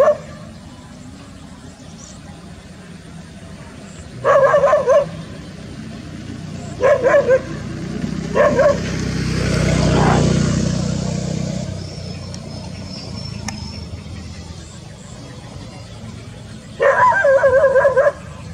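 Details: Village dog in the countryside near a green rice field, giving short harmonic barks in separate bursts about two to three seconds apart, then a longer run of barking near the end, with a low rumbling passing noise midway.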